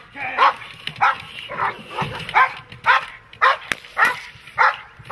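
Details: Protection-trained dog barking hard and fast, each sharp, rough bark following the last at roughly half-second intervals, with a brief click cutting through midway.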